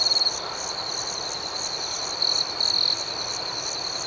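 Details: Rapid rhythmic cricket chirps over a steady high-pitched night trill, opening with a quick run of loud pulses and later a short, louder sustained trill.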